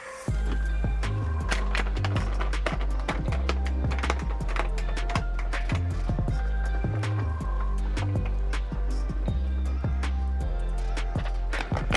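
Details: Steady rhythmic music with a thumping bass beat and percussive clacks fills the whole stretch, with no animal voice audible.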